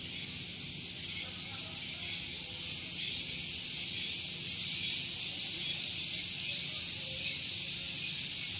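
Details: Cicadas on Gunung Geulis near Bogor, West Java, in the morning: a shrill, sustained hissing drone that slowly grows louder, with soft rapid pulsing and faint low-pitched background noise from a nearby parking area.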